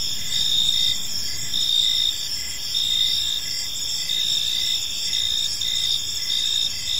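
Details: Evening park crickets in full chorus: shrill, tightly pulsed chirps stacked at several high pitches, rising and falling in short waves about once a second against constant background hiss.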